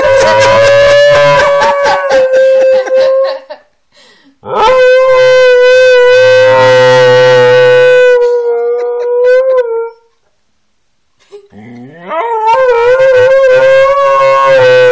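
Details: Siberian Husky Kanu gives three long, steady howls, each held for several seconds and separated by short pauses. The first two are smooth and level, and the last begins with a wavering rise. A low human hum runs beneath.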